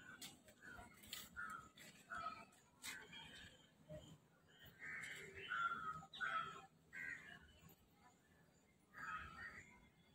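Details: Squirrel monkey at Vandalur Zoo giving short, high chirps and peeps in irregular bursts, with a denser cluster of calls midway and another near the end. Faint clicks and low background noise.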